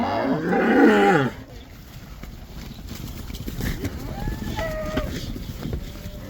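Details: Cattle heading back into the pasture in the Netherlands, during the cow dance; one loud, short harmonic moo rising then falling in the first second, followed by quieter rustling and faint field sounds.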